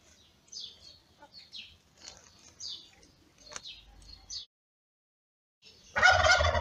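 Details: Newborn kittens of the ginger cat Lady Ginger, born in May, give a few high, quick squeaky mews, then fall silent before a loud burst of rustling noise.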